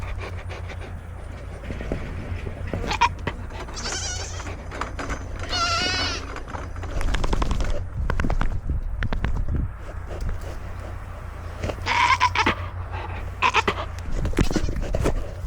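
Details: Foxy, a Nigerian Dwarf dairy goat newly added to a homestead herd, throwing a fit, filmed from a goat-mounted camera; several wavering, harmonic bleats around the four-to-six and twelve-second marks over rustling, chewing and handling noise.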